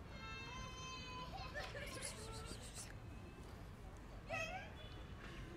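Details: Hungry kitten wanting food but wary of the person approaching it: one long, steady, rich meow held about a second, later a short wavering mew, over a low background rumble with faint voices.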